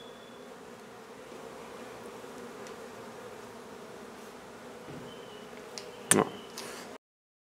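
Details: Honey bees from a nuisance hive being removed from an old home under renovation in Donna, Texas, for relocation. A low, steady droning hum runs throughout, with faint clicks and a sharp knock near the end before sudden silence.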